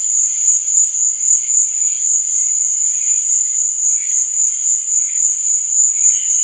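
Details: At night, crickets keep up a piercing, even trill that swells and fades in quick regular pulses, with softer chirps scattered below it.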